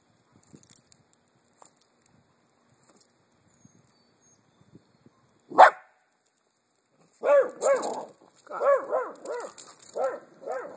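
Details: Small pet dachshund (teckel) barking at a bumble bee: quiet clicks and a single sharp yelp, then a run of about ten high, arching barks in quick uneven succession; a man speaks softly earlier.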